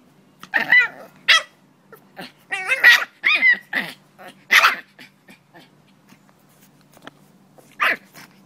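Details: Cranky French Bulldog vocalizing: a series of short, harsh grumbling and whining bursts, some rising and wavering, separated by brief pauses, with quiet gaps between.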